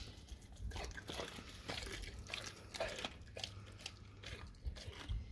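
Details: A dog working through raw cow tongue indoors: steady crunching bites and squelchy mastication, several sharp crunches about every half second over a low background hum.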